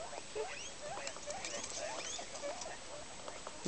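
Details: A female guinea pig after an accident in a vegetable patch, where her legs fell through protective netting and were apparently broken. Soft, quick squeaks and short chirps come in a steady, busy patter at low volume, with a faint background hiss.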